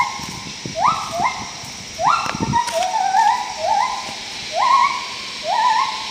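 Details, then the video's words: Wild gibbons in Khao Yai National Park, Thailand, in May 2012 give loud, whistled hoots that swoop upward, some breaking into a wavering trill. "Wild Gibbon calls in Khao Yai Thailand"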